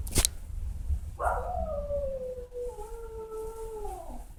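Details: A pet dog alone at home howls for its owner: one long, smooth, slightly falling tone that holds steady for about three seconds before fading, with a short knock at the start.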